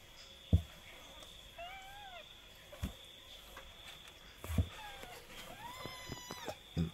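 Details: Kitten, twenty days old, mewing a few times, thin arched cries spaced out over several seconds, mixed with soft thumps and handling knocks in a quiet room with a low hum.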